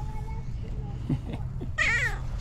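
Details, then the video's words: Fluffy female tabby cat with a distinctive meow: a few soft low chirps, then one strong, slightly wavering meow rich in overtones, over steady low background hum. "Fluffy tabby cat that meows with its unique sound"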